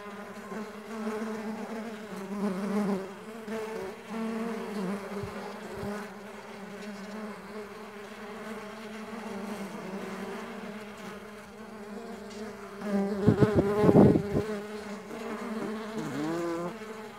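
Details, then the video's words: Mandaçaia stingless bees in flight, a dense humming drone of many overlapping wingbeats, with a louder burst of close buzzing near the end and brief dull knocks. "STINGLESS BEE SOUNDS"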